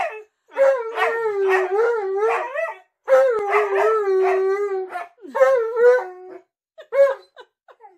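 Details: Alaskan Malamutes at home trailing their owner into the bathroom, producing wavering talkative howls in pulsing bursts, two long runs of rising and falling notes followed by shorter broken yips, with laughter and a voice afterwards.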